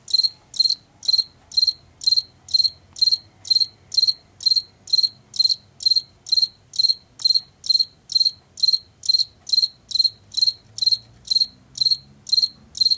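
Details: Long steady chirping of a Washington field cricket, a species of fields and forest edges in late summer and fall: high pulsed chirps about twice per second, unbroken throughout, faint low noise beneath.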